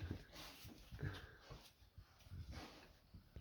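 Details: Small female puppy napping indoors, snoring: soft, low, rough breaths rising and falling at an uneven pace, roughly one every second, quiet room.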